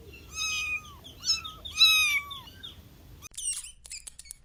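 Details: Outdoors on soft grass, playful kittens chasing pine cones let out three drawn-out, slightly falling meows, the middle ones loudest, followed by a few brief high chirpy squeaks at the end.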